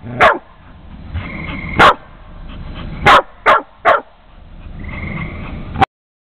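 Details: Dog Jamie directs sharp, loud barks at Houston, another dog: single barks spaced a second or more apart, then a quick triple burst, with faint whining tones in the gaps and a final clipped bark.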